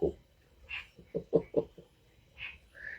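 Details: Frogs calling at a spot where only frogs and toads remain after the cicadas and birds have fallen silent; a quick run of four low, gruff croaks, with a few brief higher sounds before and after.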